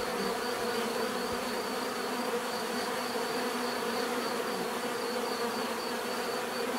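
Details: Bees hum in a dense, even drone with a faint high-pitched whine running through it, the buzzing never pausing across the whole stretch.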